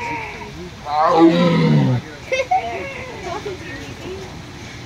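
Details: Female tiger in a zoo enclosure at Fresno Chaffee Zoo, recorded in 2007 during an after-hours event, vocalizing after drinking, eating and pacing: one loud, deep rumbling roar lasting about a second, followed by people chatting nearby.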